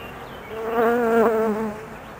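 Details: A single honey bee close by, from a colony left nervous during its queen's 45-minute mating flight: a tonal buzz with clear harmonics that swells for about a second, wavers in pitch, then fades, over a faint hive hum.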